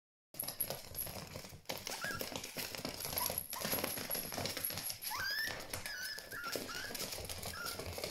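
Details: Three male Biechi puppies (Biewer Terrier x Chihuahua), Desmond, Sawyer and Joshua, run around and play together indoors. Brief high squeaks and one sharp rising yelp cut through steady scuffling, rustling and clattering noise.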